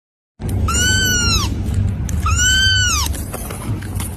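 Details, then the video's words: Cat giving two high, arched meows about a second and a half apart. Each rises and then falls away, over a steady low rushing of sea and waterfall water, with faint music. "the meow meow of cute and beautiful"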